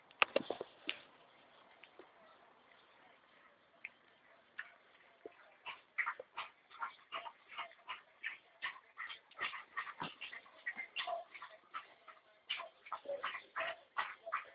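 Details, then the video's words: Litter of chocolate Labrador Retriever puppies: thin, high whimpers and sharp yips, sparse at first, then a dense run of overlapping cries from about six seconds on. "Camada labrador chocolate"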